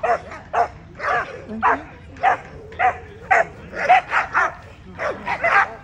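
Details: American Pit Bull Terrier barking at the 2024 ADBA Tristate conformation dog show, 12–18 month female class: sharp barks in an uneven run of about a dozen, roughly one every half second, with faint voices behind.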